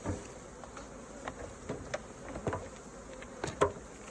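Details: Bees humming around their hive as raw honeycomb is harvested. A continuous low buzz sits under a string of quick taps and scraping knocks from the beekeeping work.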